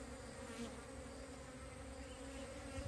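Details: Wild bees from a split colony, being relocated, hum in a short, even, low drone, with a knock at the very end.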